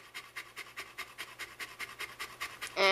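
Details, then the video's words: Pet Saint Bernard, female, panting constantly during summer heat: quick regular huffs of breath, roughly four per second, hissing and even, with a person's voice starting at the very end. "The Saint Bernard That Never Shuts Up"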